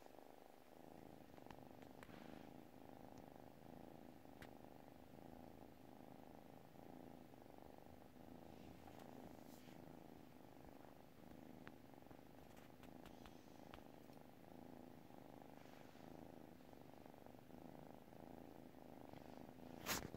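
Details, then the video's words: Sleeping pet cat keeps up a steady low purr, rhythmic rumbling pulses tied to its breathing, with faint scattered ticks and a small knock at the very end. "cat purrs while sleeping"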